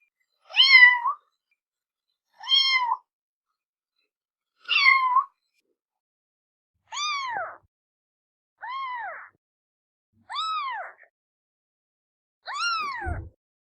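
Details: Cat meowing seven times, about every two seconds: short, clear, rising-then-falling mews, the first few brighter and more tightly bent, the later ones longer and more drawn out, with silence between calls.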